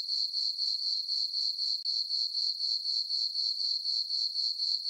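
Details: Crickets chirping on a peaceful summer night in a farm meadow under a full moon: a steady, high, shrill trill pulsing about four times per second, even and unbroken, with no other sounds.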